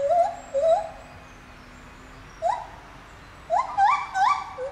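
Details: Captive lar gibbon at Safaripark Beekse Bergen, 9 July 2021, in song: two wavering hoots open, then after a gap a single rising whoop and a quick run of three upward-sliding notes.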